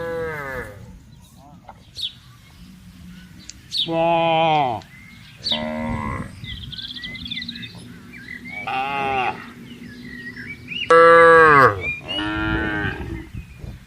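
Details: A herd of cows roaming freely through a vast palm oil plantation, with a series of about six moos from several animals: some drawn-out and falling, others shorter, separated by brief quiet gaps with faint bird chirps.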